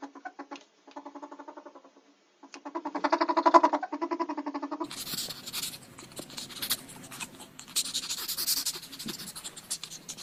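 A ferret gives rapid, clucking chatter in short bursts, followed by scratchy rustling.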